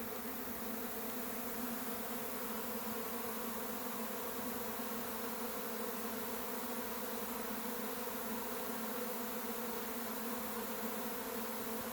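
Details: Honey bees swarming as they leave the hive and fly off, making a constant, full-bodied buzzing roar that stays level throughout, like a single sustained wall of wingbeats.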